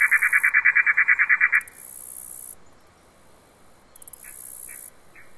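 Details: Katydid, a bush cricket, stridulating: a fast run of about a dozen harsh buzzy pulses in quick, even succession, then a pause and a brief second burst of shorter pulses, with a high hiss in the background.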